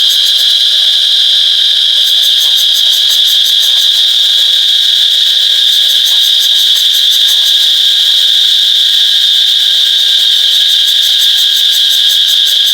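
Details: Cicada call captured on an iPhone 8, a continuous shrill droning whine at constant pitch, with a fast rhythmic ticking pulse riding above it after the first two seconds and a few faint soft clicks underneath.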